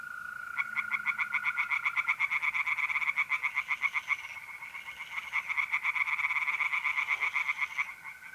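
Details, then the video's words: Tree frogs singing in a pond on an April night in north-eastern Italy: rapid, rattling pulsed croaks repeated about four times per second, several callers overlapping, over a steady, unbroken trill of mole crickets. "relaxing singing tree frogs in pond and trilling mole crickets by night"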